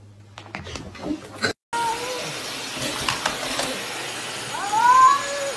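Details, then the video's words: Angry cat: after a short cut, thin wavering tonal cries, ending in a louder rising yowl. Faint speech and a steady high background tone are present. "Angry CATS"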